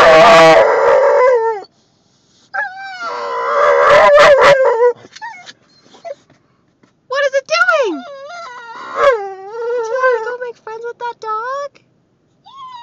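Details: Female Boxer whining and crying on seeing other dogs during a car drive: high, wavering whines that rise and fall, given in bursts, with a woman talking to her in between and faint music.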